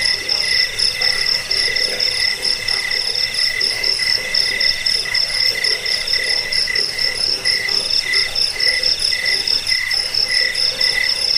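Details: Jangkik crickets, used to drive off rats and tutor cage birds: rapid high chirps repeated about four times a second, several insects overlapping in ringing bands, with a constant dense texture.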